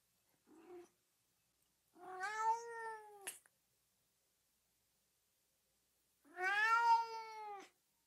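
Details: Cat meowing, used as a sound to excite dogs: a short faint chirp, then two long falling harmonic meows several seconds apart, the first ending in a brief sharp burst, quiet gaps otherwise.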